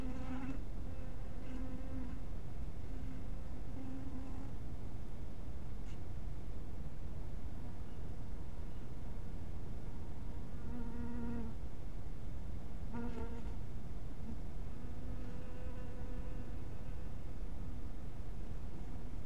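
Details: Honey bees at a bee cottage in twilight light: low droning buzzes rise and fade as individual bees pass, several separate bursts with a bright hum and stacked overtones, over a constant low rumbling background.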